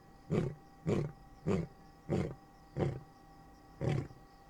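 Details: Male lion roaring at night to claim his territory in Kruger National Park, Singita Lebombo, South Africa, a roar said to carry up to 8 kilometres; six deep, grunting pulses follow one another roughly every 0.6 seconds.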